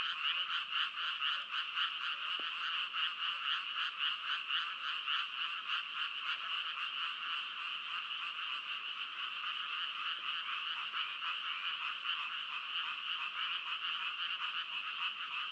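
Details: Frogs call nonstop in a thick chorus of grating, rhythmic pulses, about three to four per second, sustained at a level volume from start to finish with no other distinct sounds.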